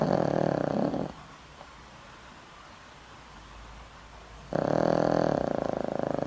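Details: Sleeping elderly dog Boram-i, over twenty years in the household and treated for a weak heart, gives a loud snore: a throaty vibrating rasp fading out, a long hush, then another booming buzzy snore beginning.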